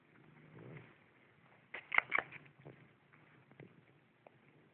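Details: Twelve-week-old pet rat from a pet store, suspected of mycoplasma respiratory infection and coughing despite antibiotics, now on zithromax. Two sharp, explosive sneeze bursts near mid-clip, then a few softer short snorts over a low indoor hum.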